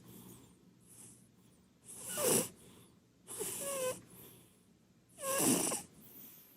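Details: A plump Munchkin cat named Purin is asleep on the sofa, where she spends the whole day, and her snoring carries to the dining room. Three hissing, breathy snores come at uneven intervals, some with a faint whistling note.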